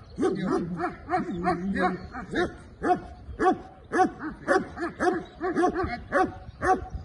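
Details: Belgian Malinois beginning executive protection training barks continuously, loud sharp barks repeating almost twice a second across seven seconds, some doubled, with a short strained, drawn-out tone near the start.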